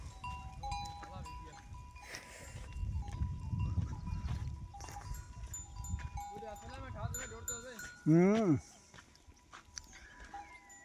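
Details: Goats feeding on a tree in the desert; a loud, wavering, quavering bleat bursts out near the end, preceded by softer tremulous calls, while steady ringing bell tones and low rustling continue throughout.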